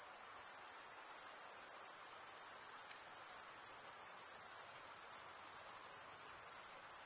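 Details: Crickets stridulating, chirps made by rubbing the top of one wing along the toothed vein beneath the other; a steady, very high, shimmering trill holds without pause, with a faint hiss lower down and no other sounds.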